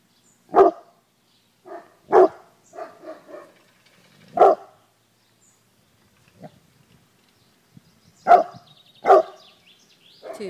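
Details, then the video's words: Small pet guard dog on watch, giving loud, sharp barks in irregular bursts: about five strong barks with softer double and triple yaps between them over ten seconds, separated by quiet pauses. "Mon ptit chien de garde"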